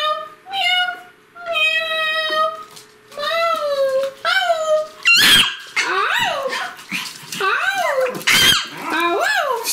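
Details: Pomeranian puppy, 65 days old, indoors, asked to sing again: several steady harmonic howls, then a run of quicker sliding, wavering yelps and whines with sharp bursts of noise.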